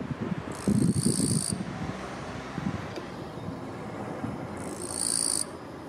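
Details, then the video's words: Raspy high-pitched rasps from a male Eastern-Japanese katydid, forewings scraped together while perched on a kwanso daylily bud hidden in silver grass, calling for a mate; two one-second buzzy bursts about four seconds apart, low rumble beneath. "Love Song of Eastern-Japanese Katydid"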